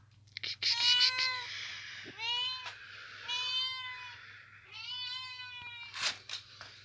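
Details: Kittens that sleep in a boot make a string of thin, high-pitched meows, about five clear drawn-out calls that rise and fall, each lasting half a second to a second, with brief pauses between and a few soft taps.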